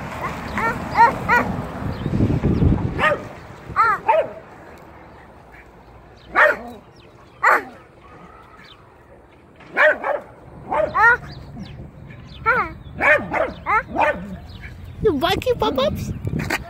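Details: Domestic dog barking in scattered bursts, some short sharp barks and some higher yipping calls, with quiet pauses between; a low rumbling noise early on.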